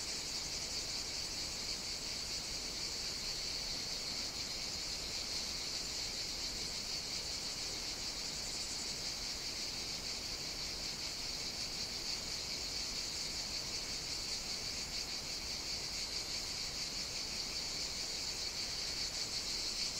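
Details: Long unbroken cicada chorus from Evia, Greece's second-largest island, on a hot summer day, a loud high sizzling whine that holds steady throughout, with a softer lower hiss beneath.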